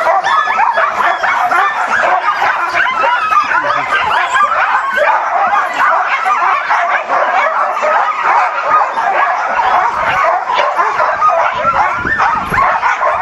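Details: Many eager huskies at Caribou Crossing in the Yukon, May 15, 2013, filling the air with a steady wall of shrill yelps, whimpers and barks layered over one another throughout.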